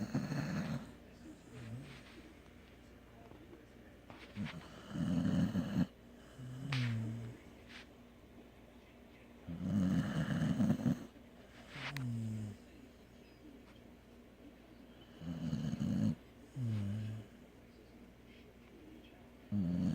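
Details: Sleeping dog snoring in deep, rasping low breaths, each rattling snore lasting about a second and returning every five seconds, separated by softer whistling exhales and quiet pauses.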